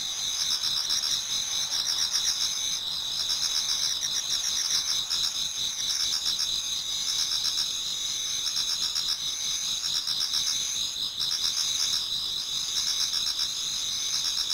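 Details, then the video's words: Many autumn insects singing toward dawn in a Japanese garden: a dense, steady high chorus of trilling and chirping layered in bands, with pulses repeating about four times a second and no other sounds standing out. "Autumn Insects voice Towards dawn"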